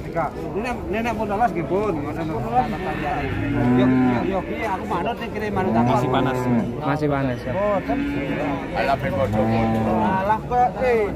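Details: Repeated deep bellowing moos from Limousin cattle, each call a sustained low hum lasting about a second, arriving irregularly amid constant overlapping conversation from a crowd of people.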